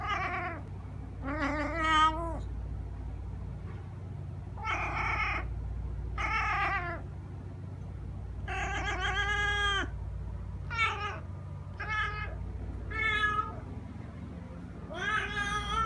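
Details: Persistent meowing from a male pet cat said to call like this all day and sometimes at 6 am: about eleven insistent meows, some long and drawn out, others short and clipped, with a low background hum.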